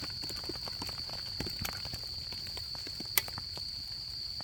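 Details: Insects of autumn heard beside a crackling campfire at a camp, their even, shrill, sustained trill running without pause while many small pops and snaps of burning wood scatter across the recording.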